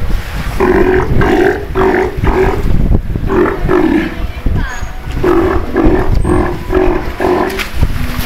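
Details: Captive Steller sea lions at an aquarium, including an elderly 24-year-old father with his mate and young: repeated deep, gruff roaring bursts in clusters of three to four, pausing between groups, with human voices around.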